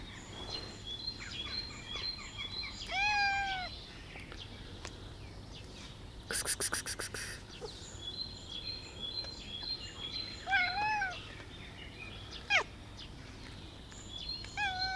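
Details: Black cat giving two drawn-out harmonic meows, the second ending in a rising squeak, over steady high-pitched chirping in the background, with a sharp clattering burst midway.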